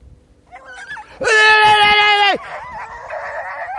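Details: Beagle in training on hare giving one long, steady, ringing bay of about a second with strong overtones, preceded by faint short yelps and followed by quieter, wavering voiced sounds.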